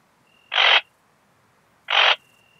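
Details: Rhacocleis annulata singing at Biedermannsdorf, Austria, on 8 August 2022, recorded through a Pettersson D 100 ultrasound detector after noise removal: a pair of brief rasping chirps roughly 1.4 seconds apart over a thin, constant background tone.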